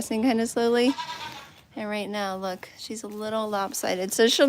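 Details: A goat at The Willful Goat Farm & Home gives a run of long, steady, nasal bleats, about four drawn-out calls in under five seconds, each held level with a slight wavering.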